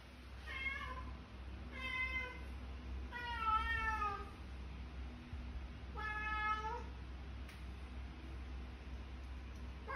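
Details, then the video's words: Cat meowing to wake its owner, a street cat in Kuala Lumpur, Malaysia: four drawn-out, harmonic meows spaced about every one and a half to two seconds, some wavering in pitch, over a steady low indoor hum. "Alarm Clock Cat Waking Up Owner"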